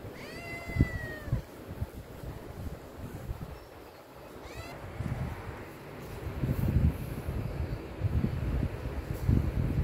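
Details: Himalayan cat named Pinky urging for food: a clear harmonic meow at the start, a second shorter meow near the middle, then low rumbling and handling noise.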